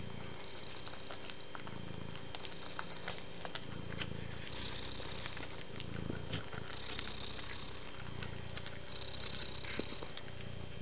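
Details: Kind, soft pet cat purring in a regular rhythm of low rumbling bursts, each lasting about a second and repeating roughly every two seconds, with a quiet hiss and occasional ticks.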